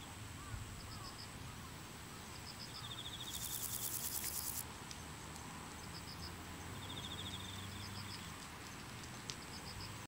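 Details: Chorthippus maritimus grasshopper singing briefly after climbing onto a leaf. One shrill, buzzy rasping burst lasts about a second and a half. Faint repeated high ticking chirps of other insects and steady background hiss surround it.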